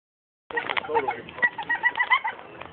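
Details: A Staffordshire Terrier gives quick, warbling cries that rise and fall in short bursts, several per second, sounding like a wild turkey's gobble.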